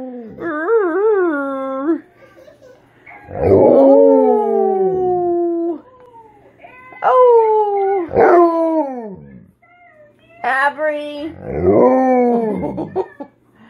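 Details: Tonka, a pet Alaskan Malamute, gazes out his window giving a low growl-howl: four drawn-out, harmonic-rich wavering howls, each falling slightly in pitch, separated by short quiet gaps, indoors.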